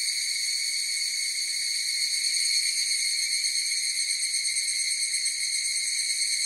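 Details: Many evening cicadas (higurashi) sing at once, producing a shrill continuous ringing buzz with a light pulsing texture and a steady pitch, heard without wind, water, people or other creatures.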